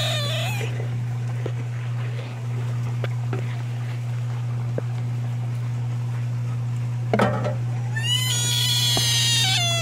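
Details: Screaming American bullfrogs: a loud, high, harmonic wail opens the clip and a longer, wavering, cat-like scream fills the last two seconds, with faint clicks between and a steady low hum throughout.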